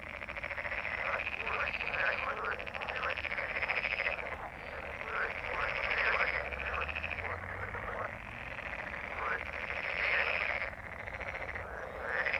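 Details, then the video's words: Frogs croaking in a dense chorus: rapid rattling pulses in swelling bursts of a few seconds each, many callers overlapping with short dips between waves, and no other clear sounds. "Frogs croak/ Rechot żab/ Frösche quaken"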